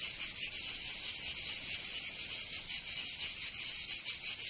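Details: Provence cicadas in summer, southern France: a piercing high buzz broken into uneven bursts, some pulses quick and others spaced, all steady in pitch.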